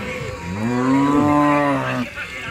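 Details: Cow at a busy village cattle market in Bangladesh during unloading from the river side; one long, steady, rich moo lasting about a second and a half, level in pitch, with faint crowd murmur.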